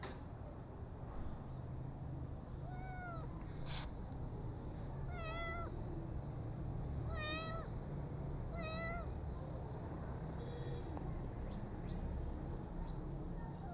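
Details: Rescued street kitten calling with a series of short, high meows, each a slightly bent, falling note, spaced a couple of seconds apart over a low, steady indoor hum.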